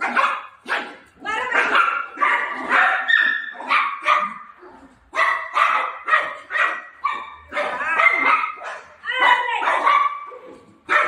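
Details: Golden retriever puppy playing with mom, giving quick series of short, high yipping barks in rapid bursts of several per second, with brief pauses between runs.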